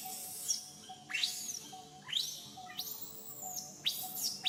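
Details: Young monkey crying as its mother teaches back style: piercing squeals that sweep sharply upward and then hold a high, thin wail, four cries in quick series.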